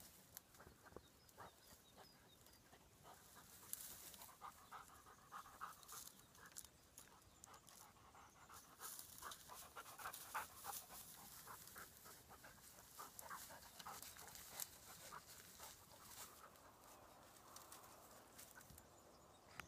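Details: King and Patsy, two dogs chasing prey on their own grounds in daily hunting mode, pant hard and fast. The breathy puffs come steadily, more than three a second, with hissy bursts and a few louder peaks.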